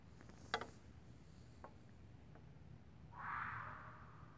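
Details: A red fox outside, mating, gives a single hoarse, rasping scream near the end after a few faint clicks, part of screaming that went on for about an hour.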